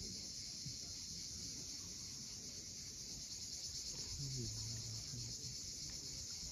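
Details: At Cape Fiolent in Crimea, cicadas keep up a dense, even high-pitched drone at sunset, softly pulsing, while waves wash below and a short low tonal sound appears near the end.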